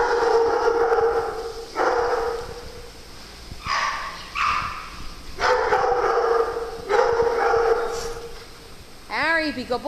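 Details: Playful farm dogs make repeated bursts of high whining howls, about six over ten seconds with pauses between, ending in a rapid wavering yelp; someone talks to the dogs throughout.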